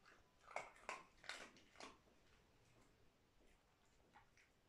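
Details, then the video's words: Dog eating dry food indoors: four or five sharp crunching bites in quick succession in the first two seconds, then quieter faint chewing. "köpek mama yeme sesi"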